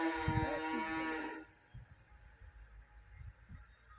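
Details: Holstein-Friesian dairy cow, recorded 10 July 2023, opens with a strong, rich moo lasting about a second and a half. A slight wavering in pitch follows, then quiet with low thuds and rustling.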